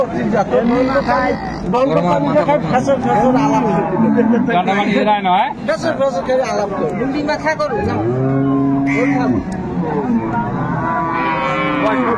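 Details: At Ambari market, Dinajpur, Bangladesh, on 22 April 2024, an improved-breed dairy cow with calf is offered for sale; short arching lows mix with loud bargaining voices and crowd noise, and a clearer bellow sounds near the end.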